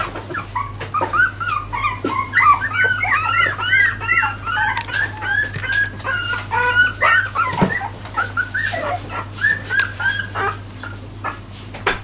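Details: Four-week-old Jack Russell Terrier puppies, walking only for the last four days, give a dense overlapping chorus of high, squeaky whimpers and yips. The calls are short, bending up and down, and nearly continuous with irregular spacing.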